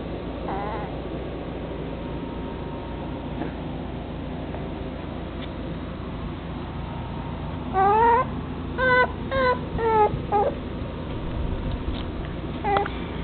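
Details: Male chocolate dapple long-haired dachshund puppy at a kennel gives a run of short high whines in the latter half, some rising and some falling, after a quieter stretch of steady background hiss.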